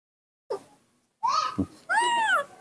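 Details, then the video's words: Young monkey Nomi, a rescued baby raised by people, calling while his father is away: a short squeak, then two loud, clear, arching whistled calls that rise and fall, with a woman coaxing him in Indonesian. "the melodious sound that the baby monkey Nomi makes to call, when his father is not nearby"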